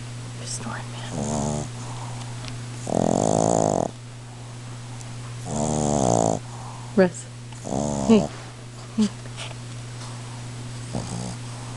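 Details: Boston Terrier dog sleeping and snoring very loudly indoors; rough, rasping buzzy snores come in bursts roughly every two seconds, some long and droning, over a steady low hum, with a few brief faint voice-like sounds between them.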